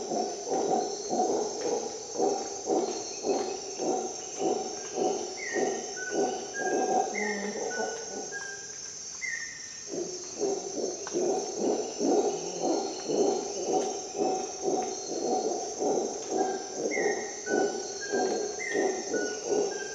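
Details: A howler monkey howls at dawn in Costa Rican jungle: a long train of gruff pulses about twice per second breaks briefly, then restarts. A persistent high insect whine continues, with falling whistled bird notes.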